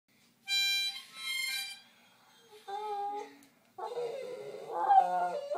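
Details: Clancy, an Airedale Terrier, howls along to blues harmonica; a bright harmonica phrase opens, then the dog's wavering, sliding howls rise and fall in pitch, growing louder toward the end.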